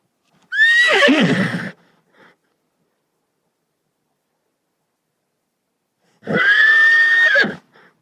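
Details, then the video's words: Domestic horse neighing twice: a loud, shrill whinny with a falling, quavering tone, then a long gap of silence and a second, steadier neigh that holds its pitch before cutting off. "SOM DE CAVALO"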